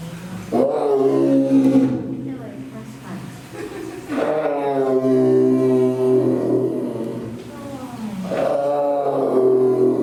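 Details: Roaring Amur tiger (Siberian tiger): three long, rough, throaty roars, each a few seconds long with wavering pitch, separated by short quiet gaps.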